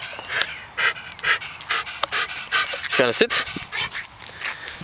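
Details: Dog at Te Puru panting in rapid breathy bursts, roughly two per second, with a person's voice cutting in briefly midway.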